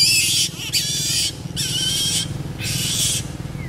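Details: Four loud, grating screech bursts from variable flying foxes while pairing, each about half a second long, harsh and noisy, separated by brief gaps over a low background hum.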